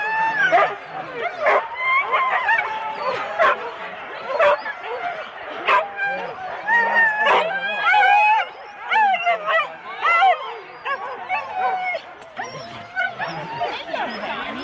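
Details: Four-dog Husky teams waiting for the start at Rendlesham, January 2016, recorded on analogue cassette: a dense, continuous clamour of many dogs yelping, barking and whining in rising and falling tones, with human speech underneath.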